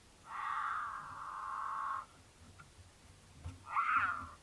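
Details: Courting mountain lion pair in Utah, passing a camera on their roundabout path; the female in heat caterwauls to attract the male. A loud, sustained wail of nearly two seconds, a quiet gap with faint clicks, then a short, wavering cry.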